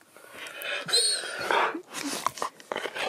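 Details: Pet Husky indoors, coaxed with the promise of food, answers with drawn-out whining, talky vocal sounds that waver in pitch, with short breaks between bursts; a person speaks nearby.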